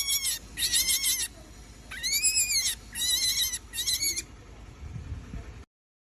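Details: Baby rabbit screaming after being rescued from a hungry dog: high, harsh, shrill bursts with arched overtones, about half a second to a second long, repeated five times with short gaps.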